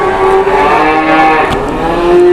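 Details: Angry cow at an Indonesian cattle bargaining, charging: one long, loud, sustained bellow with a steady, richly layered tone that dips slightly midway, over a dense background of noise.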